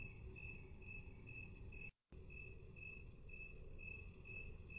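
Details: Cricket chirps slowed to half speed. Short high notes recur evenly, broken once by a brief total dropout near the middle, with a steady low rumble beneath.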